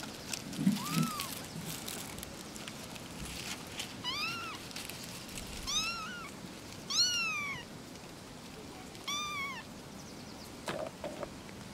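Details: Three little kittens calling to each other: a run of short, high, arched mews, five or six in quick succession with uneven gaps, over a soft hiss of background noise.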